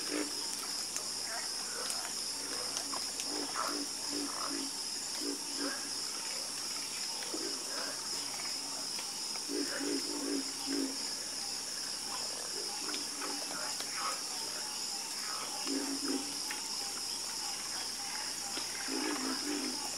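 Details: A harmonious frog chorus: many low, rough croaks overlap in uneven clusters, some quick runs of repeated notes, while a constant high shimmering hiss fills the background.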